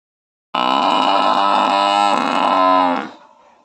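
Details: A buffalo gives one long, loud, droning call lasting about two and a half seconds. It holds a steady, richly layered tone, then stops abruptly into silence.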